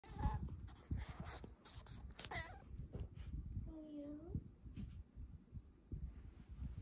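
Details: Female pet cat indoors in the morning while cuddling, giving a couple of soft, rising-then-falling chirping mews, one drawn out and wavering, among rustling and a woman's quiet affectionate talk.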